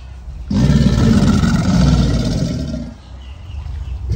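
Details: Mating-season bellow of an American alligator: one sustained, deep, rumbling roar lasting about two and a half seconds, rough and vibrating, fading into quiet low background.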